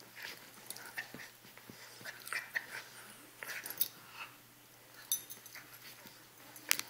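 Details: Puppies Chewy and Sarge at play, giving brief rasping growls and small whimpers in uneven bursts, broken by sharp knocks and rustles from their tussling in a small room.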